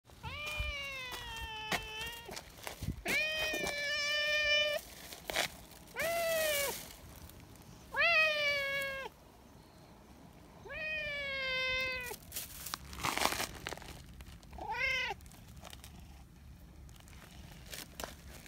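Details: Nyahha, a brown tabby community cat, fussing very affectionately for attention: about six drawn-out, harmonic-rich meows, several bending up then sliding down, spaced by short pauses with brief rustling and clicking noises between them.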